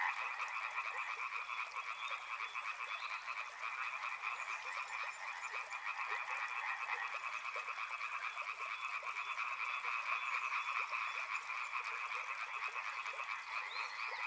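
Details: Continuous chorus of river frogs, many overlapping pulsed croaks creating a dense, steady rattle, with a thin high buzz above it during the first half.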